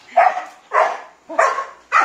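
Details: Sibling Labrador mix dogs at play, three half-Labrador littermates of different sizes; four loud, harsh barks come about half a second apart, each bright and noisy with a short growling undertone.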